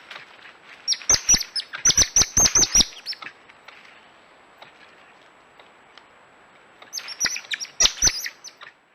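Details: Coati chirping: bursts of sharp, high, squeaky chirps with clicking notes, packed in rapid runs for about two seconds, a pause of quiet, then a second shorter burst.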